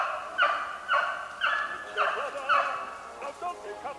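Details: Beagles hunting snowshoe hare on 8 March 2016, the pack giving tongue on the chase: steady, ringing bays about twice a second, fading to softer, more broken calls toward the end, with a quiet outdoor background.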